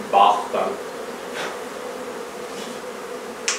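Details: Droning hum of a honey bee hive during its removal from a barn in La Feria, Texas, with short voice-like bursts at the start and a soft continuous buzz afterward.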